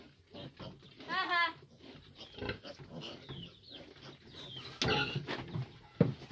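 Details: Big piglets press a nursing sow that is having difficulty feeding her litter of fifteen. A drawn-out, wavering squeal rises, then gives way to scattered shorter squeaks and low grunts, with a human voice nearby.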